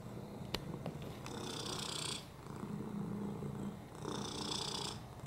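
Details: Purring on a lap from Oliver, a domestic cat with FIV, a broken hip and upper respiratory infections: continuous low throbbing purr, with airy rasping bursts on each breath, roughly every two to three seconds, and a faint click near the start.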